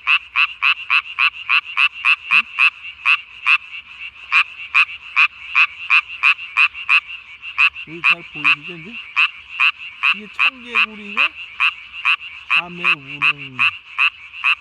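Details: Loud, close tree frog at night on 3 May 2020, vocal sac swollen to body size, giving fast, even rasping pulses in a steady series; a few lower warbling harmonic calls sound in the later part.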